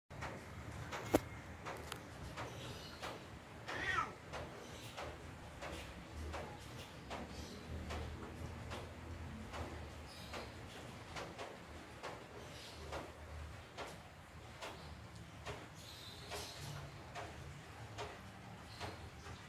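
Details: Kyle, a large, gentle, neutered tabby cat, grooms himself indoors on a rainy afternoon: a steady run of soft, wet licking clicks, each a few tenths of a second apart, with a faint short meow-like note near the start.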